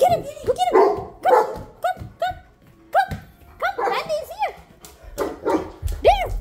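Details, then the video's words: Krystale Joy, a female Great Pyrenees, vocalizes while asking for treats: short, rising-then-falling whiny barks and yelps in quick bursts, mixed with a person's encouraging speech and faint music. "she's on the treat mode.. Krystale Joy the Great Pyrenees.."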